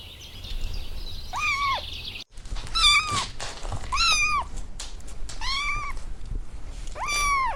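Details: Outdoors on the grass, kittens stalking butterflies utter five arched, plaintive mews roughly one second apart over a steady hissing background.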